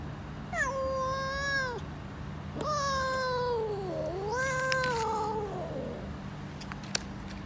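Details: A mother cat with kittens meows three times over several seconds: long, mid-pitched cries, the last dipping then rising again, over a constant low hum with a few small clicks.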